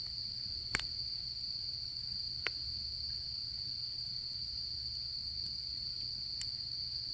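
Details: Steady high ringing of autumn insects near a campfire, the trill unbroken and level throughout; three or four sharp wood crackles from the fire stand out, one loud pop near the start, over a faint low rumble.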